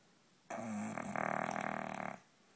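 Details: An English Bulldog gives one loud, rattling snore, starting as a nasal drone and breaking into fluttering vibration.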